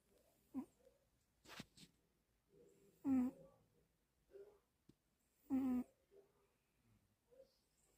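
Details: Sleeping domestic cat snoring indoors: two loud, throaty, voiced breaths about two and a half seconds apart, with softer rustles and clicks between them.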